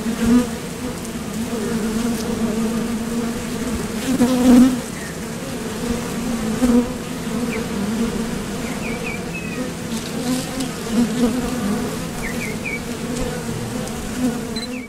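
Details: Foraging honeybees buzzing at a Top Bar Hive entrance, leaving for nectar and landing again; a steady low hum with louder swells every few seconds as bees pass close, and faint high chirps of a distant bird.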